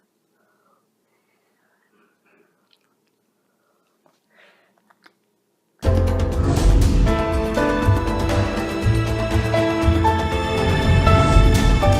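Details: A few faint clicks in near silence, then loud music takes over halfway through. No animal voice can be picked out.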